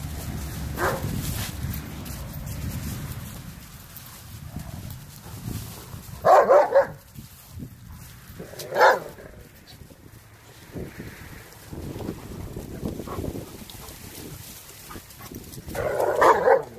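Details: Dogs playing on Thanksgiving Day 2018: Renascence Bulldogge puppies Rekkr and Magi with Blue Bay Shepherd Kurgan and German Shepherd Lobo. Three loud, short bark bursts stand out over low background music and rumble, spaced a few seconds apart.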